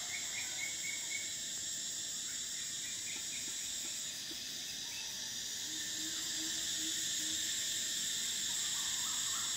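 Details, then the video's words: Summer cicada chorus, a continuous shrill metallic whine holding steady, dipping slightly midway then swelling again, with a few soft bird chirps and a low whistled note underneath. "Cicadas: the sound of summer"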